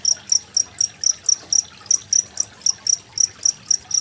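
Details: Close cricket chirps, each a short bright burst, repeat about four times per second over a quiet stream of water; made on 25 February 2023 for tutoring contest songbirds such as magpie-robins.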